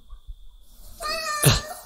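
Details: Domestic cat making a frightening sound inside a house: a steady tonal, strongly harmonic cry held for under a second, breaking into a sharp noisy burst like a hiss or spit at its end, with low thumps beforehand.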